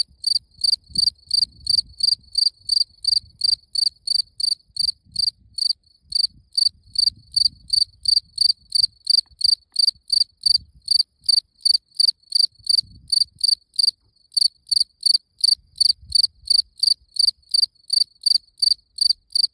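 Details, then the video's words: A cricket keeps up a long, even series of sharp, high, pulsed chirps, roughly three per second, with one brief pause midway and faint low-frequency rustles underneath. "Сверчок в деле!"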